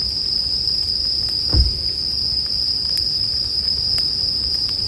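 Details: A continuous high-pitched ringing from bell crickets runs unbroken, with faint campfire crackling and one brief low thump near the middle.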